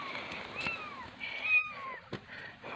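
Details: Two kittens; high thin descending mews, two drawn-out calls falling in pitch, with a click and low background hiss.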